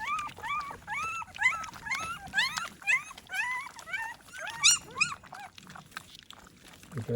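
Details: American Pit Bull Terrier puppies at morning feeding time, offered a vitamin and mineral supplement, give a rapid run of about a dozen high, upward-sliding whines and squeaks, thinning out toward the end as a person's voice is heard.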